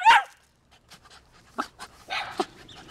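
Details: A Cocker Spaniel, told to call another dog, opens with a loud, clipped yelp, then softer, choppy howl-like whines that rise and fall as if trying to talk.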